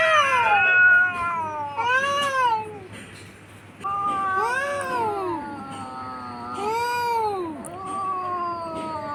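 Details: Pair of domestic cats in a fight on a tin roof around midday, recorded on a phone; loud arched yowls that rise then drop, repeated in long moaning waves with a brief quieter gap midway.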